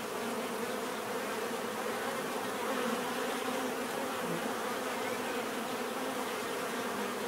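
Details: Steady swarm-like buzzing of bees, a dense low hum with overlapping wingbeat tones, one bee swelling slightly louder midway before the even drone resumes.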